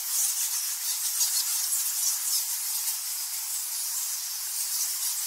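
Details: High, fizzing din of thousands of nectar bats crowded in the Goa Lawah cave, Bali, Indonesia; overlapping squeaks and squawks pulse rapidly and irregularly, slightly louder in the opening second.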